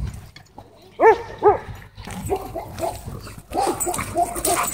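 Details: Siberian Huskies play fighting at a dog park: two loud harmonic barks, then softer whining yelps over a busy, noisy background of scuffling.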